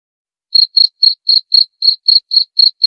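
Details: After half a second of silence a cricket starts chirping, said to scare rats away; around nine crisp, high-pitched chirps follow at an even rhythm, with no other sounds.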